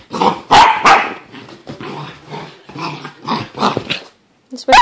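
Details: Puppy after a bath giving a rapid run of short, sharp yelps and whiny barks, roughly three a second, some with thin tonal peaks, broken by brief pauses and ending in a final loud bark.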